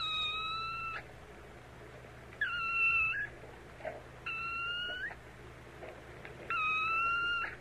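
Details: Kitten meows, four long, steady, high-pitched mews, each lasting nearly a second with a slight upturn at the close, separated by pauses of one to two seconds, with a faint low background hum.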